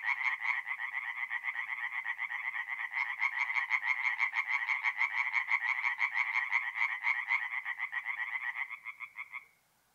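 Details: Chorus of singing tree frogs at a north-east Italian forest pond on an April night: fast, clattering croaks from several frogs at once, growing denser midway, then thinning out and fading to silence in the final second.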